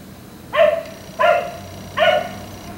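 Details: A black Labrador retriever kept outdoors late into the night barks three times in a row, each bark loud and harmonic, spaced roughly three quarters of a second apart, with faint constant hum behind.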